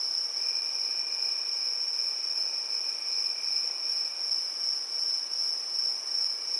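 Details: Crickets trill on a summer evening in a high, continuous shimmering chorus that never pauses.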